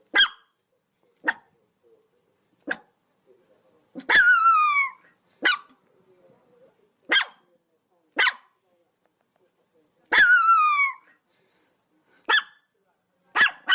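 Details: Short, sharp Chihuahua yaps come irregularly, one or two seconds apart, broken twice by long whining yelps that slide downward in pitch.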